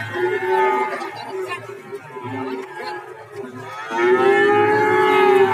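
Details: Cattle at the Warujayeng cattle market in Nganjuk, where many animals of various breeds are offered for sale, lowing in long, steady, low moos: one drawn-out call at the start and another rising, swelling moo near the end, with faint market chatter behind.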